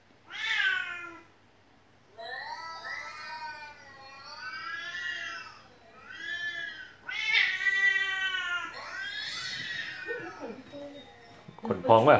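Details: Domestic cat meowing indoors, the house cat described as crying nonstop: a series of long, drawn-out meows, each one to two seconds, some wavering and rising-falling. There is a brief pause early on and a sharp, noisy burst at the end.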